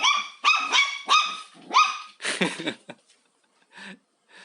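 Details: Domestic dog squaring off against a vacuum cleaner while the house is cleaned, fascinated but afraid; rapid run of about six shrill barks, then a rough, growly burst before quiet.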